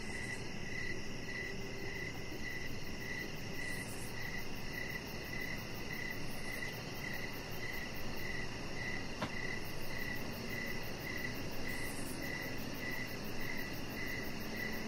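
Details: Crickets chirping outdoors in the evening beside a deck: steady, evenly spaced short chirps about twice a second over a faint high shimmering trill, with a constant low rumbling background hum and one brief click.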